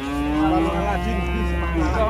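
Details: Emaciated cow, thin to the bone yet still alive, gives a sustained steady moo with a rich stack of harmonics for about two seconds, over a constant low mechanical hum.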